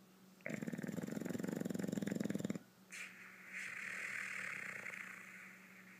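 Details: A male English Bulldog napping in the afternoon snores in a loud, rattling burst, then gives softer wheezing breaths.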